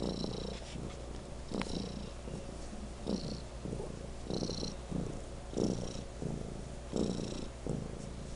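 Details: House cat Legend purring particularly loudly, a rough low rumble that swells and ebbs in breathing cycles about once or twice a second, with brief faint high-pitched squeaks in between.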